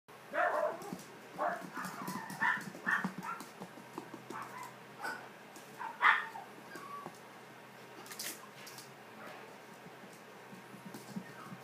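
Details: Poodle puppies giving a busy run of short high yelps and whimpers, clustered in the first three seconds, with a sharp squeal near six seconds, then quieter scattered whines and light indoor rustling.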